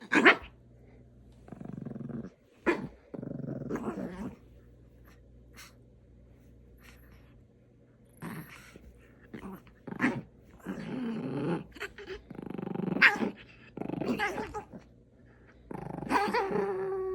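A puppy makes odd, throaty vocalizations: short growling and whining bursts separated by brief pauses.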